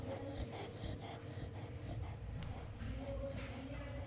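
A Chow Chow snores with a low, rumbling, rasping drone that swells and eases with each breath.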